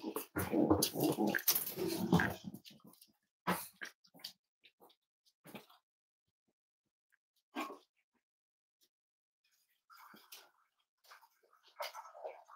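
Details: Cavalier King Charles Spaniel puppies snuggling indoors on a warm Friday morning, raised as emotional support animals. Dense rough growling grunts fill the first three seconds, then scattered short snuffles and soft whimpers follow after pauses.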